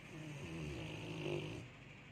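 A Rottweiler snores with a low, rumbling breath that swells and fades.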